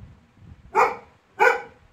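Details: Labrador Retriever named Laiza, angry and bothered by a small toy indoors, gives two loud, sharp barks about half a second apart, each a short burst after a quiet room with faint low background noise.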